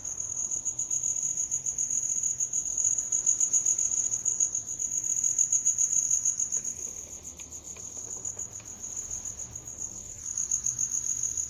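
A cricket trills steadily, a high, bright, unbroken chirping that pulses slightly in loudness.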